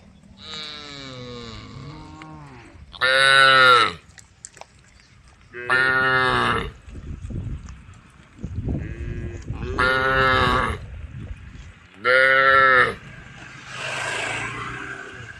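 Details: Tame cows in a group on a road, calling the herd: four loud, drawn-out harmonic moos about two to three seconds apart, with several softer, shorter lows in between and faint background noise.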